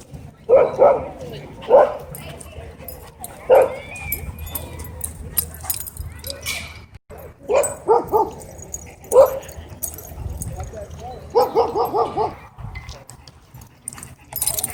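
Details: Dog at a dog park threatening to attack the person filming: bursts of loud barks scattered across the clip, ending in a fast rattling series, with a person's voice calling out between them.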